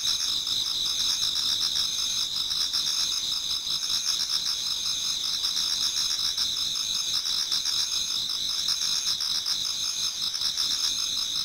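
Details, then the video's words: Towards dawn in an autumn Japanese garden, many insects keep up a constant shrill chorus, several high ringing trills layered with quick pulsed chirps repeating steadily throughout. "Autumn Insects voice Towards dawn"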